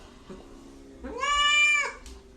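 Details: Domestic cat giving a single loud, drawn-out meow, rising then holding steady before fading, preceded by a brief faint murmur.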